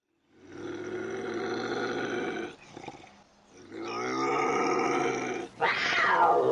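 A bobcat gives long, drawn-out harmonic yowls, ending in a sharp rising and falling wail.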